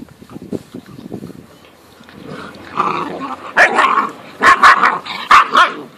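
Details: Great Dane puppies 8.5 weeks old from one litter, quiet grumbles building into a run of sharp playful barks and growly yaps about once a second.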